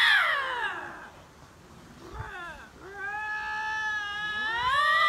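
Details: Two lynxes in a standoff, possibly a territorial dispute, trade drawn-out wailing screams: a falling cry, a pause, then long steady harmonic moans that swing upward at the end.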